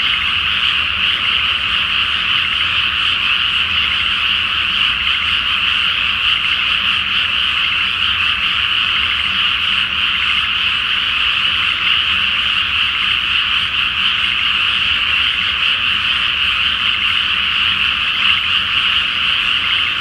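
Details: Massed frogs calling after dark from a flooded rice field ahead of planting, beneath a full moon in spring; the chorus is a ceaseless, dense, trilling roar of overlapping croaks at even loudness.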